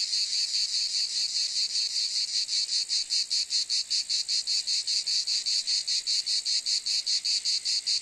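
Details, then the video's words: Shrill, sizzling cicada buzz pulsing steadily about four to five times per second, very even and unbroken throughout. "Cicade geluid / Zikaden sound / Zikaden zirpen / Cicada sound effect"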